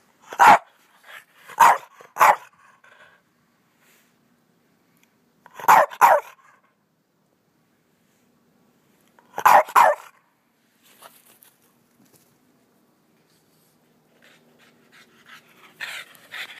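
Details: Boston Terriers, two males in energetic play, bark loudly in short clusters of two or three sharp yaps, then fall quiet before the next burst, with faint rustling and small sounds near the end.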